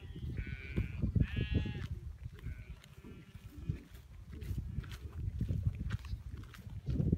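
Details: Free-pastured cashmere goats in a mixed herd with sheep, on wild grassland in north-eastern Mongolia, being driven to the fence: two wavering, quavering bleats early on, a fainter bleat after, over a heavy low rumble of the moving herd.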